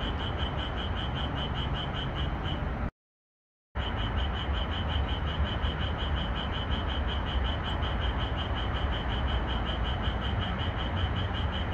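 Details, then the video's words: At night in a moonlit red pepper field, a Japanese tree frog gives a long run of fast, regular, ringing pulses, about four per second. The recording is edited to boost the calling, with a brief silent gap and a steady low noise bed. "고추밭에서 노래하는 청개구리소리"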